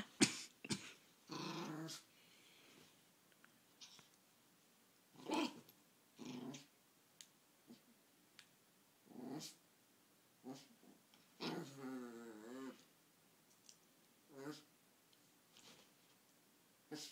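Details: Little pet Chihuahua crying indoors, wanting the laser pointer; short whines and whimpers in bursts, one longer wavering cry near the middle, with small growl-like sounds between quiet gaps in a small room.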